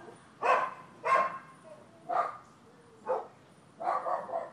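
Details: Neighbors' dogs barking on 12/7/15: five loud, sharp barks spaced roughly every second and a half over a quiet background. A faint tonal whine sounds between the barks.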